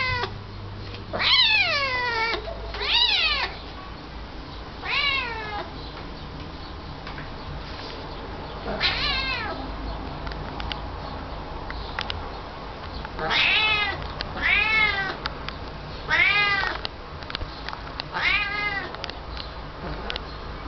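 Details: Domestic cat giving repeated drawn-out meows, each an arching harmonic wail rising then falling, in clusters of two or three with pauses between, over a steady low background hum.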